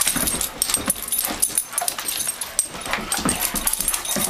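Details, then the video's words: Indoor play fight between two adopted Doberman Pinschers, two and nine years old, on a carpet; continuous rough scuffling with short growling and huffing bursts, loud throughout. "Doberman Pinscher - Thursday Night Smackdown"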